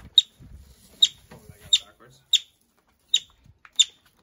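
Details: Injured or displaced yellow-bellied marmot newly arrived at a Pacific Northwest wildlife recovery centre. It utters six shrill, abrupt whistled chirps spaced roughly every half second to second, with soft low human murmuring between the first few calls.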